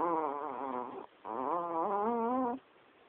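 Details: Chihuahua named Bell, a female fast asleep beside her owner at night, snoring loudly, recorded on a mobile phone: two wavering, nasal, whistling snore breaths, each about a second long, with a brief pause between.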